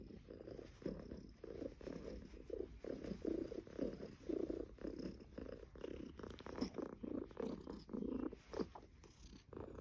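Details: Somali cat purring indoors in an apartment on Caoyang Road, Shanghai, on 16 May 2016: a steady low rumbling purr that swells and fades in regular breath cycles roughly every half second, continuous throughout.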